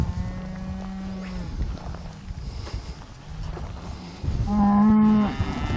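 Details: Lilybrook Hereford cattle grazing the breeding pasture, summer 2015: a steady low moo at the start, a quieter stretch of faint lowing and noise, then one loud, flat, sustained moo near the end.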